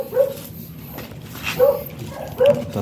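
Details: Chow Chow dog named Michael at a stud service in Manaoag, Pangasinan, with a muzzled female that bites: three short, high, clipped whimpers at uneven gaps over about three seconds, against low background noise.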